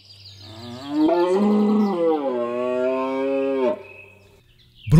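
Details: A rutting red deer stag in the Belgian Ardennes in autumn (September–October) gives one long, moaning bellow of nearly three seconds, swelling then sagging in pitch; males bellow loudly to attract females. Faint low hum underneath.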